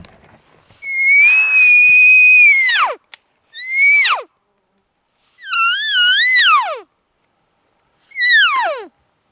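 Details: Big 7x7 bull elk on public land bugling to call cows, a contact bugle during a hunt; four high whistled calls, each held then sliding sharply down, one wavering, spaced a couple of seconds apart with silence between.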